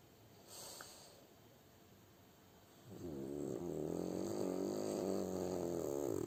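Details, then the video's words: Sleeping French Bulldog Kuzya: faint breathing at first, then a steady, throaty snore starts about halfway through and keeps going as a rough, buzzing drone with slightly wobbling tone to the end. "Как храпит французский бульдог"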